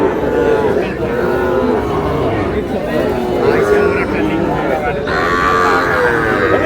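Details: Small bull and heifer calves at a purchase by a Shariatpur farmer, giving several moderate moos amid people talking and general background noise.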